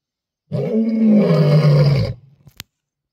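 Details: A lion on safari in Africa gives a single deep, rough roar lasting over a second, then trails off into grunts.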